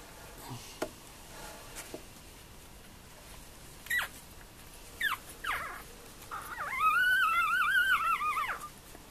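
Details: Four-day-old Tibetan terrier puppies, born at a kennel in 2015; brief thin squeaks, then a two-second wavering high whimper that rises and falls repeatedly, in a quiet room.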